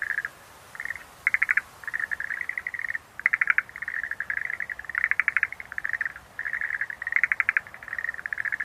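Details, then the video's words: Chorus of Schlegel's green tree frogs: rapid pulsed rattling bursts, some longer and louder, following one another almost without gaps and overlapping, a dense calling bout against a calm background. "Sounds of nature scenery-Rhacophorus schlegelii"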